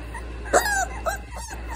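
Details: Cane Corso and French Bulldog lying together, one giving a short high whimper that slides downward, followed by a softer second whine, over a steady low indoor hum.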